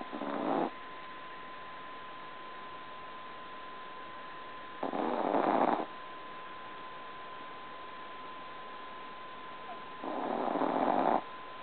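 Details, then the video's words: Tiny two-pound Chihuahua asleep, snoring loudly: three broad raspy breaths roughly every five seconds, each about a second long, with a steady thin electrical tone running underneath throughout. "Tiny Chihuahua Snoring Like a Freight Train"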